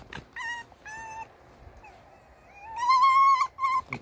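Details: Indoor male red fox in a bad mood, whining: two short steady whines, a quiet pause with faint rising notes, then a long loud wavering whine and a clipped final squeak, with a person's voice nearby.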